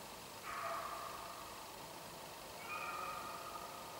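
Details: A beagle driving roe deer on a hunt bays twice in long, drawn-out, wavering cries, with a steady background hiss.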